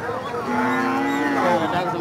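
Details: One of many cows lows in a drawn-out, flat, slightly nasal moo of about a second, set against busy crowd chatter and voices.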